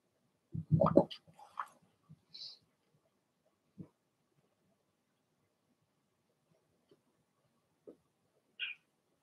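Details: Young Blenheim Cavalier King Charles Spaniel puppies, part of a litter of six, in their home puppy pen; a single hoarse, broadband bark opens, followed by thin high squeaks and soft low grunts spread across long silences.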